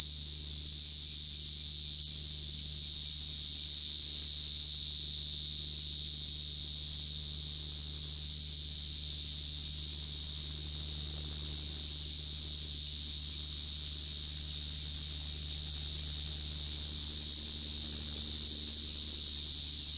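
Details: A cricket sings a loud, continuous high trill, steady in pitch and volume for the full twenty seconds, with a faint low hum underneath.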